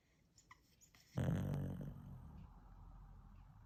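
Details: Pet dog snoring while asleep indoors: a sudden loud, low rumbling snore that begins abruptly, then slowly fades into a softer, steady breathing drone, with faint light clicks before it.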